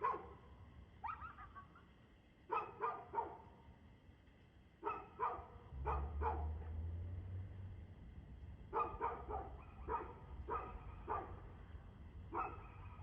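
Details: Dog barking on 2/6/2024 at 6:02 pm, sharp barks in irregular groups of two to four, a lull around six to eight seconds with a low droning hum, then a steady run of barks to the end.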